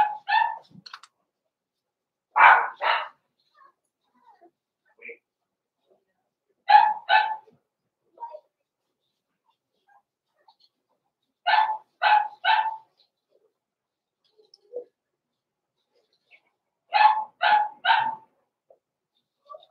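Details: Blenheim Cavalier King Charles Spaniel puppies, born November 14, 2022, barking indoors in their pen near Christmas: sharp yaps in clusters of two or three, recurring every few seconds amid quiet stretches and faint small noises.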